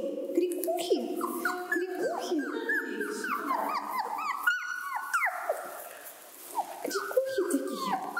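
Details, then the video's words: A pack of wolves at Taigan park in a noisy, hectic chorus: many overlapping yelps, whines and short rising and falling howl-like cries, dense and constant, with a brief lull near the end. "Осторожно - стая волков 😊 Внимание - очень шумно и очень суматошно🤪 Тайган. Pack of wolves in Taigan"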